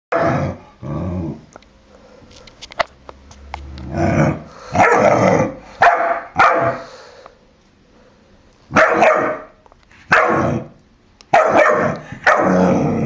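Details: Jack, a four-month-old puppy, barking at a balloon he dislikes: short loud barks in bursts, some doubled, with quiet gaps between and a few clicks in the background.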